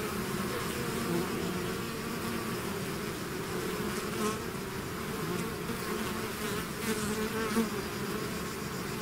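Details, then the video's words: Bees swarming out of the hive create an unbroken buzzing drone, many insects at once, low hums wavering as closer bees pass, intensity nearly constant throughout. "bees therapy swarm natural buzzing sound"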